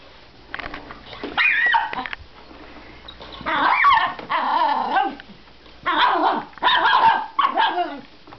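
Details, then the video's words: Miniature Schnauzer reacting to a vacuum cleaner with several loud, strained barks and whiny yelps, arriving in irregular bursts about every one to two seconds with short pauses between. "Mini Schnauzer VS Vacuum"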